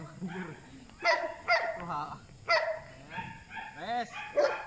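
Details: Bite work session with Belgian Malinois Asyong: loud, clipped barks in a quick pair, then another, followed by bending, whine-like tones. People's voices mix in throughout.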